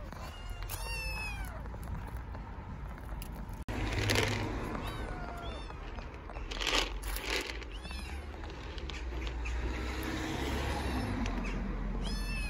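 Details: Stray kittens living on the street in Istanbul meow loudly from hunger, a run of high, wavering, harmonic cries repeated irregularly throughout, mixed with bursts of rustling and clattering noise and a constant low background hum.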